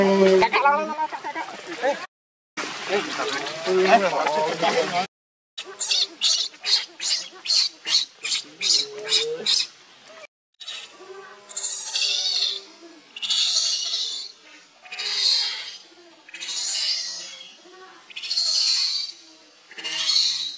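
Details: Young monkey Leo begging mother for milk while hungry; after a stretch of voices and noise, rapid high squeaky cries burst out, then slow down into longer piercing wails spaced about two seconds apart.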